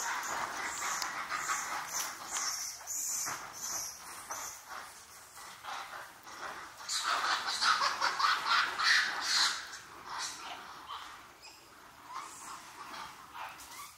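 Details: A returning troop of wild Japanese macaques, including a baby, at Awaji Island Monkey Center in Hyogo, Japan, around 3 pm: dense overlapping harsh and squealing calls that swell loudest midway, then thin into scattered cries.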